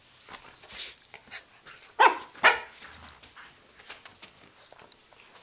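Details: Domestic dogs at play, Pinot the Corgi romping with Haro the husky while big brother Federer joins in; two sharp barks land half a second apart amid rustling, thumping play noise and a brief high squeak.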